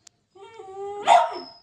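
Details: Playful female pet dog trying to start a play-fight with a sleeping dog in the morning: a thin, steady whine for about two-thirds of a second, then one loud sharp bark that trails off. Its owner then tells her to stop.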